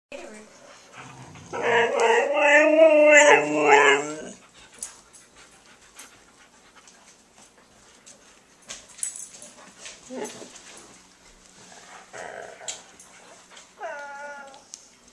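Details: Five Siberian Huskies playing together, one giving a drawn-out, wavering whine-howl of 'talking' that wobbles up and down in pitch for about two and a half seconds. Softer grumbles and a short rising whine follow, with a person speaking nearby.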